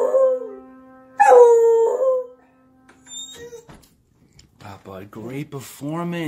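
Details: Buddy, a male beagle, "sings" while playing the piano, howling in long, wavering tones over a sustained piano note; a man then speaks.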